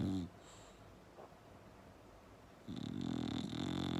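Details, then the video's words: Loud bulldog snoring. A short, deep snore fades at the start, then after a quiet pause a longer rasping, rumbling snore swells and holds to the end. "Bulldog Snoring Loud"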